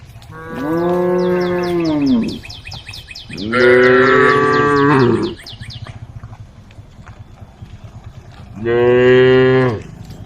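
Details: Tame cattle on a forest road, with a female cow calling the herd: three drawn-out, rich moos, the first two longer and close together, the last after a gap, over a fast trill of high chirps early on.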